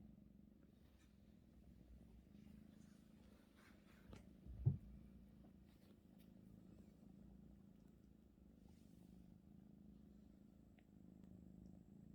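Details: Indoors, the Russian Blue Maeum kneads a stolen blanket while a low, continuous purr hums along, with one brief thump near the middle and faint rustles.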